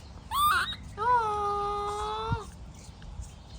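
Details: Baby monkey in a tantrum when its mother is leaving: a short squeal, then one sustained, steady, slightly rising tonal wail lasting over a second, followed by quiet.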